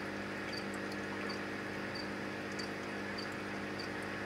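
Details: A male Anthony's poison arrow frog calls to attract females, giving short, high chirps repeated about every half second over a steady humming pump; Anthony's poison arrow frog.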